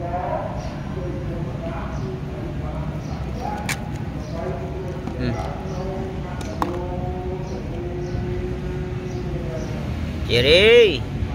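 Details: A cat offered mixed rice gives a single loud meow near the end, arching up and then falling, after a long stretch of a person talking to it over steady low hum and scattered clicks.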